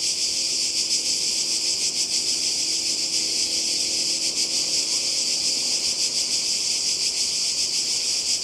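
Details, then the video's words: Cicadas calling together beside the sea in Croatia, summer 2020, producing a constant piercing buzz with a gentle rhythmic flutter throughout and a faint low drone beneath. "Kroatien Zikaden und Meer"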